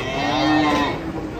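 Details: Frightened cattle coming down from a truck on a Saturday: one loud, drawn-out moo, a steady low tone rich in overtones lasting under a second, then easing off as human voices continue behind it.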